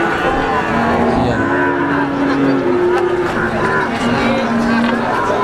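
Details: Brahman cattle at the Sumber Lawang cattle market give low, level moos, with several calls held for about a second, under steady market hubbub.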